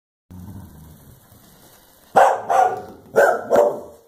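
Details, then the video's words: Clumber Spaniels Blanche and Daisy bark while confronting a cow; after two seconds of low rumbling background, two pairs of sharp barks burst out, each pair about half a second apart. "Blanche and Daisy the Clumbers Spaniels protect us from the killer cow!"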